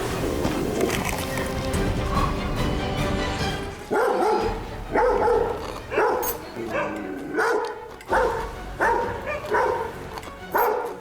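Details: A Welsh Corgi at a country house barks repeatedly, short sharp barks about once a second after some music, setting off neighbourhood dogs; the barking is treated as a noise problem tied to a dog diagonally opposite.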